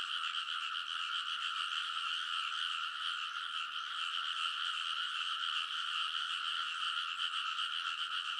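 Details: Frogs in a loud chorus on a rice paddy ridge in Konosu, Saitama, Japan, at midnight in early summer, recorded on a TASCAM Portacapture X8; dense overlapping croaking forms a steady, unbroken wall of rattling trills with no other sounds.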